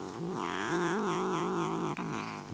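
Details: Chatty neutered male Desert Lynx hybrid cat at play gives a long, throaty, growling yowl that rises and sags unevenly. There is a brief dip near the end, then the voice resumes.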